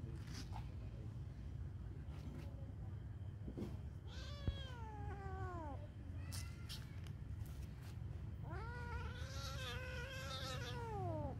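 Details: Cat giving two drawn-out, wavering meows. The first, near the middle, slides downward. The second, longer one at the end arches up and then falls. Steady low hum and a few clicks underneath.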